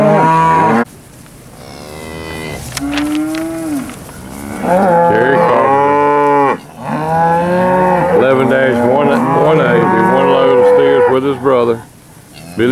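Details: Cattle at an August auction sale, a load of steers: a string of loud, drawn-out moos, some rising then falling, overlapping calls from several animals with brief quiet gaps between bursts.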